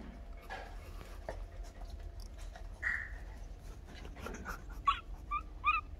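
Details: Two dogs, a big black one and a small Miniature Pinscher, give soft high whimpers: one drawn-out whine, then a few quick squeaky yips near the end, over a steady low background hum.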